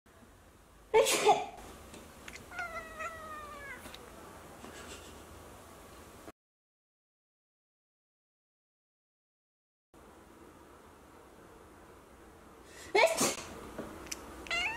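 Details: Neutered male Munchkin Napoleon cat indoors, reacting after its owner sneezes beside it. A sharp sneeze-like burst comes first. Several soft, short, bending meows follow, then a silent gap, then more sharp bursts near the end.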